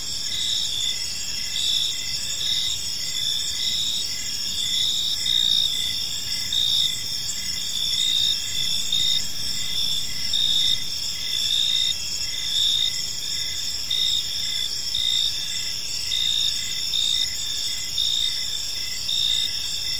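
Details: Long stretch of evening cricket song in a quiet park, constant layered high trilling with rhythmic pulsing chirps, the chorus steady in loudness, soft background noise underneath.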